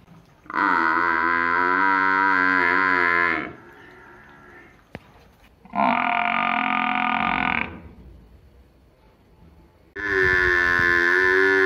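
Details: Three loud moos from a village buffalo, each two to three seconds long and strongly harmonic, separated by quiet gaps with a faint click between the first two.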